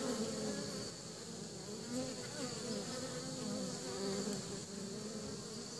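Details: Buzzing of honey bees returning to the nest with pollen, a dense, steady low hum with wavering overtones, fairly even in loudness throughout, with a thin high background hiss.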